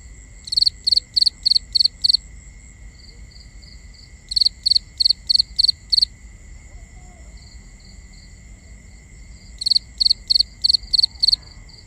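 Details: Crickets calling at night, binaural ambience: three runs of six or seven loud, evenly spaced high chirps separated by pauses of several seconds, over a constant thin high-pitched insect drone.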